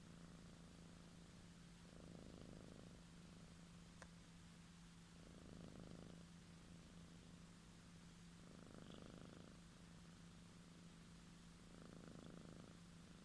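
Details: A female house cat sleeping soundly snores in soft, breathy rasps that swell and fade about every three to four seconds over a steady low indoor hum.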